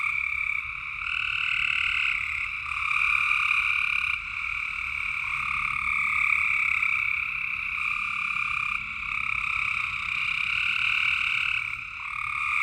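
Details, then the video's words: Frogs chorusing after dark in Tennessee: overlapping high, pulsing trills run without pause, each wave of calling lasting a few seconds before a short dip, a quieter lower tone beneath and a soft rumbling background. "Tennessee frog sounds at night"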